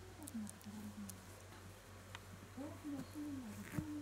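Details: Shiba Inu puppy named Kutsu, recorded in the days it began standing, walking, seeing and hearing, gives thin wavering whimpers that slide up and down in short strands, over a steady low electrical hum.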